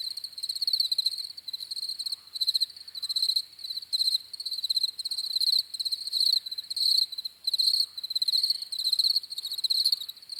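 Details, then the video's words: Continuous cricket chorus for peaceful sleep: sharp, high trilled chirps grouped into bursts repeating about every half second, uneven overlapping callers, clean background. "CRICKETS CHIRPING SOUNDS"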